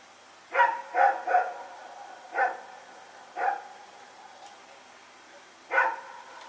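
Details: Two dogs running around at night, recorded September 21, 2018: six sharp barks, three in a quick burst, then single barks spaced about a second apart, over quiet background hiss.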